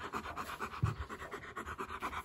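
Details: Indoors on a visit to a house, Eric, a male East European Shepherd puppy, pants rapidly and evenly, about four breathy huffs per second, with one brief louder thud; no voices over the breathing.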